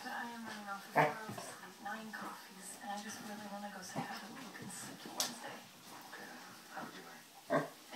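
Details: Two 2-year-old female Basset Hounds, one a rescue, grumble, growl and give sharp yips as they play together, with a person's voice faintly behind.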